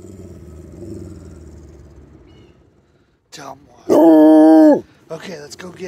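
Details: Treeing Walker Coonhound named Jax, acting the tough guy, gives one loud, steady, strongly tonal howl lasting about a second. A low rumble of traffic comes before it, and a person's voice follows.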